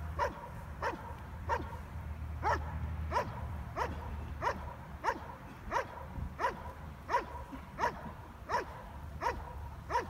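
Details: Stryder, a German Shepherd, in IPO1 protection work at a trial, where he scored 95 of 100 points. Steady, forceful barks repeat about every 0.7 seconds through the whole stretch, over a low outdoor rumble.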